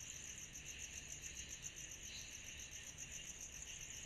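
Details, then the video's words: Summer night with cicadas: a constant high, pulsing insect drone and a fainter lower buzz, steady and without pauses, above a soft low background rumble. "Summer Night Cicadas Sound Effect"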